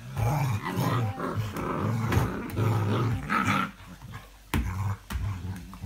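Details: Deep, steady growling from an English Springer Spaniel, dated 05.02.17, in long rumbling stretches with a rougher, louder rise midway, then short gaps and a couple of sharp clicks toward the end.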